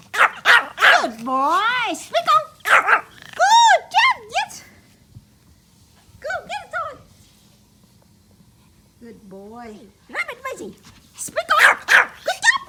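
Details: A happy Pomeranian puppy playing with toys gives short, high-pitched, tonal barks in quick bursts as its owner, speaking between barks, urges it to "speak" and fetch a toy.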